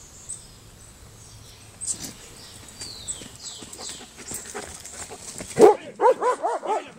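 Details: Belgian Malinois / Shepherd mix, a trained male personal protection dog that barks on command, out jogging; a few sharp, harmonic barks burst out in the final second and a half after quiet outdoor background with high chirping.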